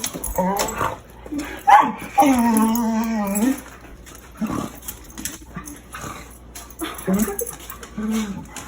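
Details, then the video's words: Dog giving hyena-like noises during a fight with another dog: short yelps, then a sustained wavering tonal whine of over a second, followed by scattered brief yips and squeals with pauses between. "Dog makes hyena noises while fighting other dog"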